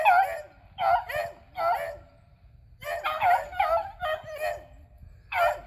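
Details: Beagles Athena and Zeus, aged eleven, and three-year-old River on a squirrel hunt, April 21, 2020; clustered, overlapping barks with howling, falling tails arrive in irregular groups, with a short lull midway.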